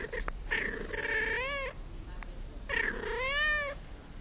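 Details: House cat giving two long meows about two seconds apart, each starting low, rising into a wavering, nasal tone and ending abruptly, against a noisy background.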